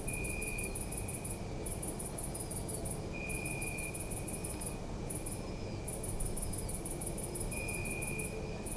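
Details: Crickets chirping at night in an urban park: fast, shrill pulse trains in bursts separated by brief pauses, a second steady trill coming and going below, heavy low traffic rumble throughout; Zoom F3 recording.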